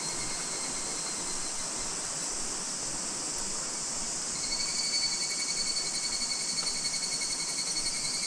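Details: End-of-summer higurashi cicada in August 2026 around Minoo Park, Kawachinagano or Mount Koya, Japan: a continuous insect chorus hiss, with a high, rapidly pulsed trill becoming clear and louder in the second half.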